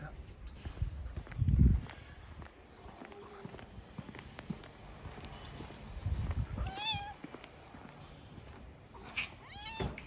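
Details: Stray cats on a street in Morocco, where a tomcat tries to forcefully mate with a calico cat; two short, high, wavering meows stand out late in the recording, with a man speaking and calling to the cats and low street rumble.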